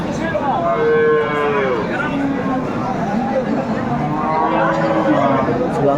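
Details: Improved-breed dairy cows with calves at Aftabganj livestock market, Dinajpur, on 21/4/24. Two drawn-out moos, the first steady then falling and the second lower and wavering, rise above a constant crowd babble and market noise.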